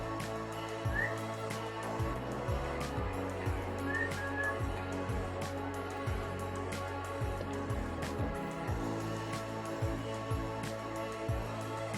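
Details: Steady instrumental music with a regular low beat about once a second and sustained tones; no animal voice can be picked out.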